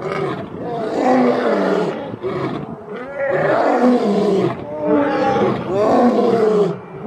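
Male lions give deep, rasping roars in three long, swelling bursts a couple of seconds apart.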